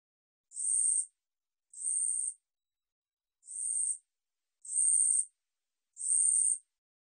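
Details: Korean katydid (우리여치), recorded by the National Institute of Biological Resources, 2020: dry, buzzy high-pitched bursts, each about half a second long, repeated roughly every 1.2 seconds with one longer gap, over otherwise silent background.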